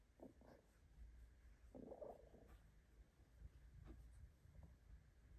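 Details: A female Bengal cat purrs in a low, steady rumble while getting belly rubs in her favourite hidden spot, with soft rustling of fur on top.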